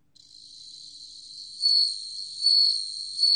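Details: High, clear tinkling of a bell cricket, a steady ringing tone that builds and then pulses louder three times at regular intervals of about 0.8 seconds, clean background.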